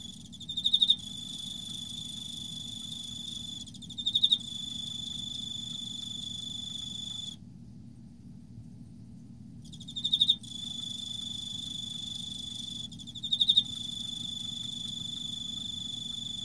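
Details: Autumn song of an Emma field cricket: short, loud, high pulsed chirps recur every three to four seconds over a continuous high ringing trill, which stops briefly midway, with a steady low hum beneath.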